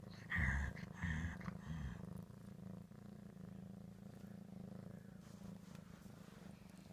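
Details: Pet cat Ricky over ham: two brief louder, harsher sounds open the recording, then a soft, continuous low purr rumbles steadily to the end.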